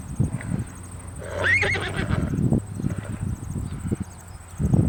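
A horse gives a shaky, quavering neigh over low thudding hoofbeats.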